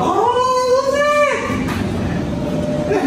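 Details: German Shepherd Zeke at his reunion with his owners: one drawn-out, high whining cry that holds steady, then slides and fades after about a second and a half, over constant background noise and music.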